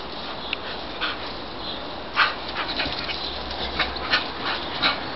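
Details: Sparse high whimpers from English Bull Terrier Ruby, agitated at home after hearing a Labrador next door; short squeals spaced about half a second to a second apart over a steady background hiss.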